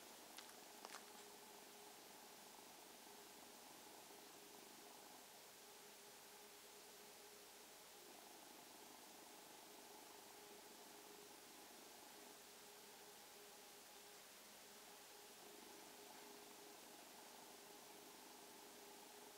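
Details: Domestic kitten purring indoors as an evening greeting; a soft, steady, low rumbling hum runs continuously through the whole stretch over quiet background hiss, with a brief click near the start.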